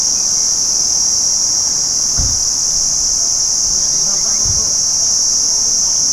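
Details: Daytime cricket chorus: a constant high, buzzy trilling from many insects, with two brief low thumps partway through.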